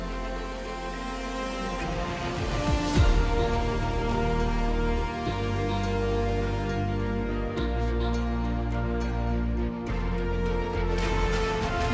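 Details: Soft, tender background music plays throughout, with no animal voice heard.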